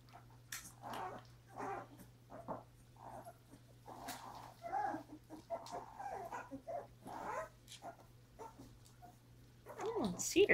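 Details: Mother dog with her puppies, in late January; a series of short, broken whines and yelps, some rising and falling, with a steady low hum throughout.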